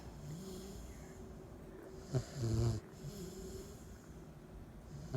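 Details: A 10-week-old Cane Corso puppy sleeping, one clear low rasping snore in the middle, a short snort just before it, and soft breathing murmurs around it.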